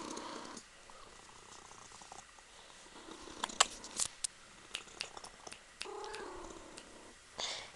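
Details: Punkin, a female Ragdoll kitten, purring softly while kneading her owner. The quiet steady purr sits under sharp scattered clicks and rustles of fur and fabric.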